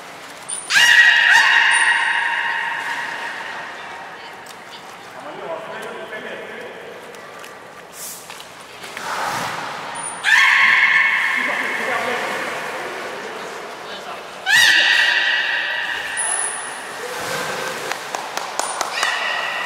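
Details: Captive belugas Nana and Niko training at Port of Nagoya Public Aquarium on 7 October 2018, giving loud harmonic squeals in bursts several seconds apart, with sharp high peeps and a reverberant indoor background.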